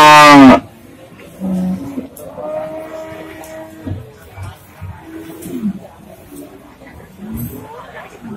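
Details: Pegon cattle at Pasar Waginan, a cattle market in Pati, Indonesia: one loud, brief, deep moo rich in harmonics opens the recording, then men talk over steady market chatter.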